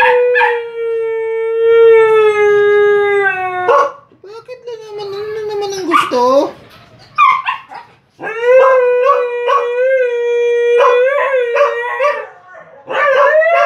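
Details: Siberian Huskies howling with the pack: long sustained tonal howls, steady then gently falling, followed by rising and wavering howls from several dogs overlapping, with short breaks between bursts.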